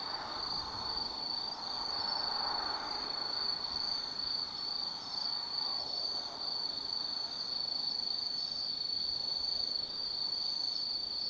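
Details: Autumn night insects at the Tsukimi no Mori lookout in Kaizu, Gifu, Japan, keep up an unbroken high ringing chirp while a muffled, lower wash of distant noise rises and falls early on.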